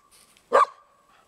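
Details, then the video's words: A dog barking: one short, sharp bark in the middle, with a steady tonal hum running underneath throughout. "Dog barking"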